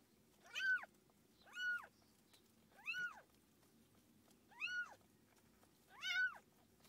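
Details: A mother cat with kittens: five evenly paced, high-pitched mews, each a clear arched note, repeat about once a second against a low steady background murmur.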